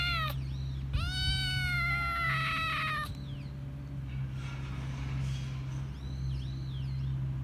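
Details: Little stray calico kitten wailing from hunger at its carer: a loud, sustained, slightly falling meow, then quieter faint mews fading out, with a continuous low urban drone underneath.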